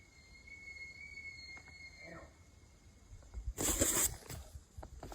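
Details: Bull elk (Cervus canadensis) in the September rut bugle a long, high, steady whistle breaking into low grunting chuckles; rutting call, with elk fighting during the rut.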